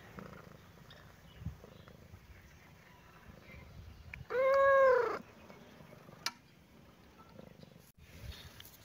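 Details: A cat and a baby kitten playing in a happy mood; a single strong, arched meow lasting about a second midway, with quiet low rumble and faint taps before and after.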